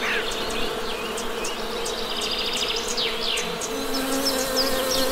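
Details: Honey bees droning steadily near their hive, a constant low hum with a brighter overtone, while birds give repeated sharp chirps and brief whistled notes overhead.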